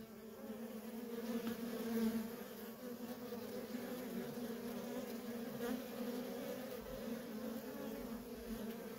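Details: Feral colony of honey bees with busy worker traffic, producing an unbroken low buzzing drone that swells briefly around the second second, then holds steady.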